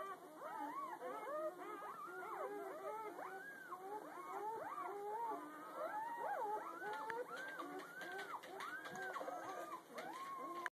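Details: Newborn litter of puppies under a day old, heard the morning after birth, many pups squealing together in rapid, arched, sliding cries that bunch and overlap into a continuous piping chorus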